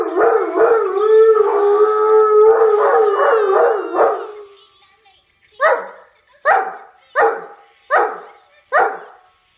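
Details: Irish Wolfhound answering its own recorded howl: a sustained, slightly wavering howl for about four seconds, then silence, then five short deep woofs spaced roughly a second apart.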